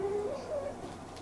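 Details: Munchkin kitten Inari, normally free to roam the room, waiting in a cage indoors during ironing and crying unlike usual: a short, level, tonal meow in two drawn-out parts, followed by quiet room tone.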